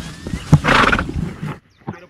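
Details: Ridden horse on a ranch in the Venezuelan llano calling out suddenly, perhaps on seeing its companions; a loud, rough, broad neigh about a second long, with splashing and movement around it and a short fainter sound after a pause.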